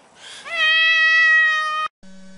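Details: Single cat meow that slides upward at the start, then holds a steady, bright tone for over a second before cutting off abruptly.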